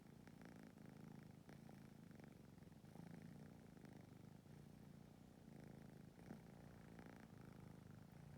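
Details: Cats of a stray family, including kittens, drowsing close together in a narrow space give a continuous deep, even purr, rising and falling gently with breathing, with light rustling now and then.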